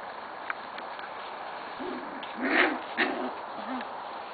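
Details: Corgi puppies from Cat and Sugarbaby's litters, recorded 21 November 2013, give a few short, low, arching hoot-like whines in a loose series over a steady background hiss, with a faint click and some human voice nearby.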